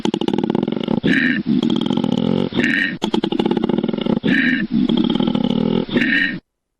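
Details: Koala (Phascolarctos cinereus) bellowing: a deep, rasping, snore-like drone in pulsed bursts, broken about every second and a half by sharp, wheezy intakes of breath.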